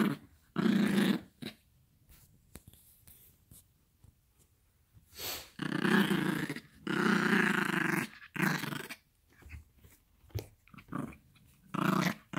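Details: Playful growling from a Yorkshire Terrier puppy, Gracie, tugging at a toy inside a small room; harsh rumbling growls of about one to two seconds separated by quiet gaps, with soft breathy snorts between.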